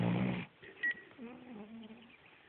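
A Cavalier King Charles Spaniel lets out a low, rumbling snore with a raspy, buzzing texture in the first half-second. A short electronic beep and a quiet human voice follow.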